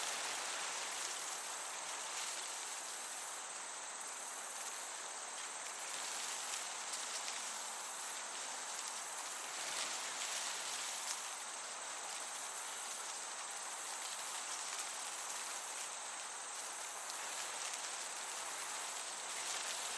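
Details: High, ringing cricket chirps fill a summer meadow, the trill throbbing in quick regular pulses across twenty seconds, backed by the gentle, unbroken wash of a breeze.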